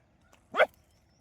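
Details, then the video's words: Single short bark from a street dog during a chase of wild boars, one sharp burst lasting about a quarter second, otherwise quiet. "నా కుక్కల దెబ్బకు అడవిపందులు పరార్"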